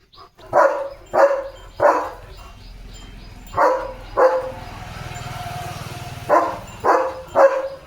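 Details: Leo the German Shepherd, playing with a water mug in his mouth, barks in bursts of three short, punchy woofs, pauses over a low rumbling background, then fires off another set of three.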